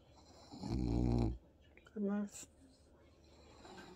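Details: Bob, a French Bulldog watching TV with his owner in a home office, answers with little grunts: a deep, buzzing half-second grunt followed by a shorter, higher tonal one in a quiet room.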